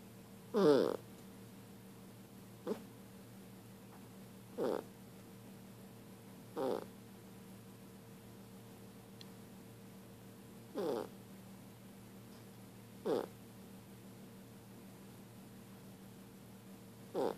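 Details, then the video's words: A pet dog making funny noises while sleeping indoors: short whimpering squeaks and soft muffled yelps in brief bursts every two to four seconds, over a steady low electrical hum. "Dog making funny noise while sleeping"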